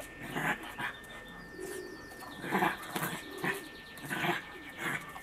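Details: Bernese Mountain Dog puppy being combed, giving short, repeated whining and grumbling bursts about once or twice a second, with soft rustling and handling noises between them.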